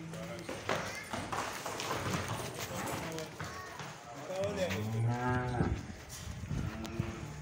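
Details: Friesian-Jersey heifers, young calves in a group of fourteen, one lowing with a low, rough, drawn-out moo in the second half while people talk nearby.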